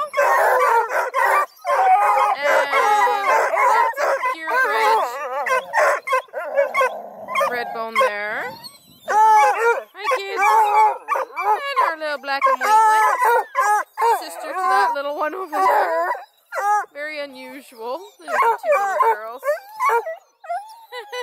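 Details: A chorus of purebred coonhounds (Bluetick, Redbone, Black and tan) near Kingston, Ontario, Canada, keeps up dense, overlapping baying: warbling, rising and falling howls mixed with quick barks, nearly nonstop for about twenty seconds.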